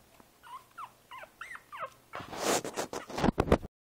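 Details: Five-week-old Boston Terrier puppy Princess Izzy, sitting in a basket on 12/4/2011, lets out four short, rising-then-falling whimpering yips about every third of a second, followed by loud scuffling and rustling.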